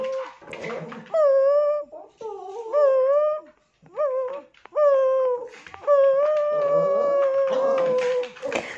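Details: Tibetan Terrier indoors in a small room, giving a run of tonal, wavering howls and whimpers in short bursts of about one second, each with clear overtones and separated by brief pauses.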